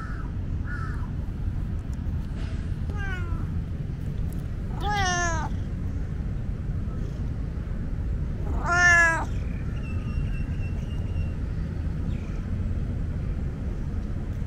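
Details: Loud, talkative tomcat at Lumpini Park giving a few drawn-out meows, each sliding downward from a high start, with quieter short calls between and a constant low city hum behind.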